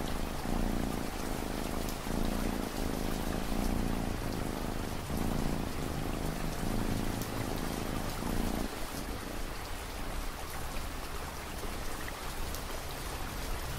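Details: Rhythmic low purring from a cat for roughly eight seconds, cycling with each breath, then fading out and leaving only steady rain and dripping drops for the rest.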